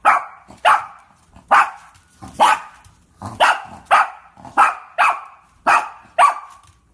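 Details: Shih Tzu barking: about ten sharp, short, mid-pitched barks in seven seconds, spaced roughly half a second to a second apart. Each bark is clipped and separate, with a bright, slightly rasping edge. No other sounds.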